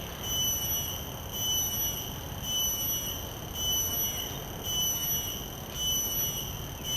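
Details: Field recording of a common cicada taken with shotgun microphones: a sustained shrill tonal whine that swells and fades in regular pulses, roughly one per second, over a soft low background hiss.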